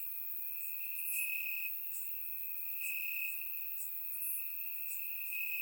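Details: Crickets chirping in grass on a warm summer night in Bulgaria, captured with a surround microphone; a steady high trilling band runs throughout, with brighter pulsed chirps from several insects layered above.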